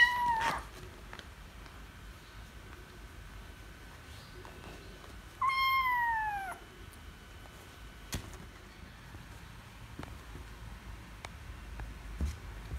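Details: Kittens meowing angrily after losing at wrestling: a short meow at the start, then a longer, louder meow after a few seconds' pause that slides downward with rich harmonics. Faint clicks and rustles in a quiet room between calls.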